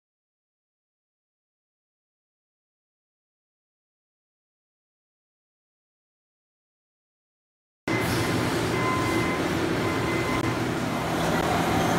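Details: About eight seconds of silence, then a steady low mechanical rumble like a passing train, with faint tonal hums.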